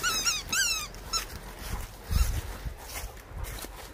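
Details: A Labrador Retriever lets out a quick run of high, wavering whimpers in the first second, each sliding downward in pitch, followed by rustling and handling noise with a few low thumps.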